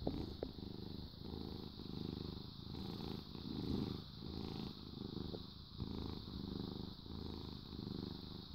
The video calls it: Happy Cat purrs Cats Purring